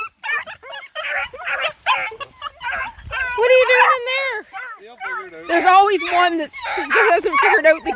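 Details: Nine Black and Tan Coonhound puppies hiking around a pond: scattered yips and drawn-out wavering howls from several pups, mixed with a man talking to them.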